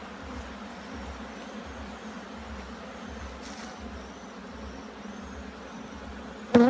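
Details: Bees at a hive being inspected in Jamaica, making a steady, even low hum that holds for several seconds, ending with a sudden sharp knock.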